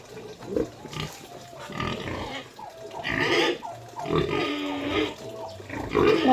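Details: Sow being transferred. Loud, harsh squeals and grunts come in repeated bursts, growing louder toward the end. Some human voices are in the background.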